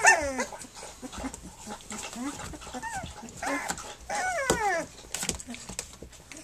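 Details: Three-week-old puppies nursing and playing: thin, high squeaky whines and whimpers rising and falling, several overlapping, with rustling and soft background noise between calls.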